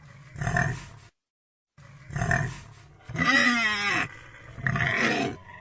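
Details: Pig making two short, gruff, low grunts, then a wavering, strongly tonal squeal sliding up and down, and a final harsher squealing grunt.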